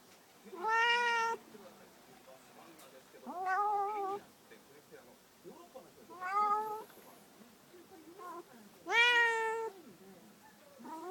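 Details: A pet cat, pestered while napping, answers with four rising-then-level meows spaced roughly every two to three seconds, the first and last loudest, softer chirps trailing between them indoors.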